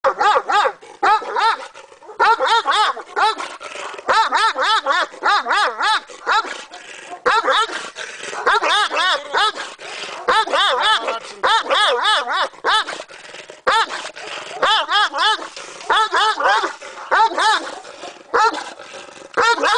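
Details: A ten-month-old Caucasian Shepherd Dog giving long runs of quick, wavering, whine-like barks, each short yelp rising and falling in pitch, in bursts separated by brief pauses.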